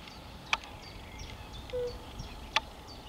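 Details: European fire-bellied toad (Bombina bombina), recorded 10 May 2021: a single soft, low, flute-like 'oop' note.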